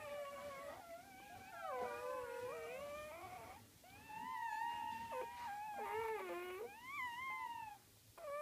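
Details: A litter of Gryzia's puppies, feeding at the mother, keeps up a chorus of high, wavering whines in overlapping voices, with wobbling pitch, short breaks and renewed cries, ending in a brief pause.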